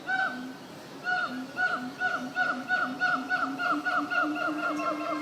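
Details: Zoo monkeys give a fast honking run of harmonic hoots. The hoots quicken into a steady stream of roughly three calls per second.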